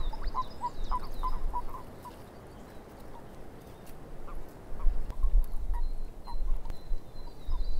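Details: A swamp frog chorus of quick, quacking croaks that open in a rapid run of about eight notes, then scatter more sparsely, with a high steady whistle and faint chirps over constant low background noise.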